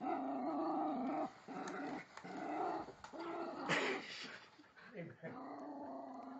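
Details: A rescued female Jack Russell mix, around four and a half years old, growls almost continuously at a toy train below a Christmas tree on her first Christmas. The low rumble runs under a person speaking, with rustling and clicks.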